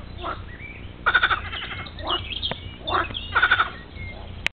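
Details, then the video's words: Bullfrogs at La Rialle, Saint-Laurent-du-Pape, Ardèche, call together in a chorus of rapid, pulsed, rattling croaks. "Froschkonzert"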